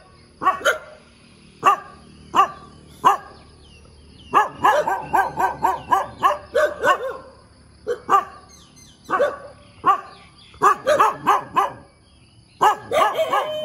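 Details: Dog barking in the morning, very persistent: loud sharp barks in quick bursts, some rapid runs of several barks, then short pauses, continuing throughout with little else heard.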